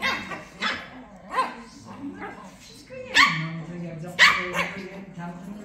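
Shih Tzu puppies trade sharp, high yaps and short barks in an irregular back-and-forth.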